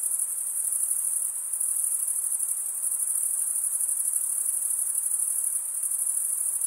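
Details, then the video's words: Male crickets stridulating, wing scraped against the comb-like teeth of the opposite wing; an unbroken high, shrill pulsing drone holds level throughout, with soft background hiss and no other sounds. "Most relaxing cricket sound for 8 hours"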